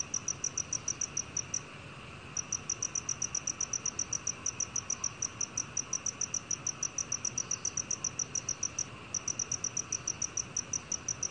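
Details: Black cricket calling with high, clear chirps repeated quickly, roughly four each second, in a steady train broken by a short gap near two seconds and another near nine; faint low background hiss throughout.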